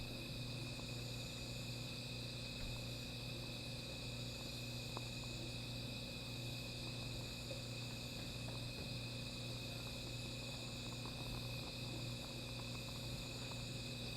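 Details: Night chorus of insects by a small fire, a dense continuous high buzzing in stacked tones, with faint crackles and a persistent low rumble beneath.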